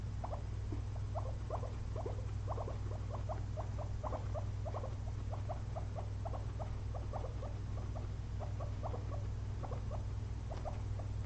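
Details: A resting pair of pet guinea pigs after feasting on frozen blueberries; a long run of brief, bright ticking chirps, several per second, slightly irregular and fading toward the end, with a low hum throughout.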